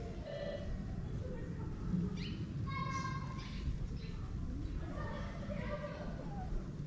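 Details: Kittens hidden by their mother in a shaded place in Morocco give thin, high meows with rich overtones, three short separated calls, over a low rumbling background and a man's soft voice.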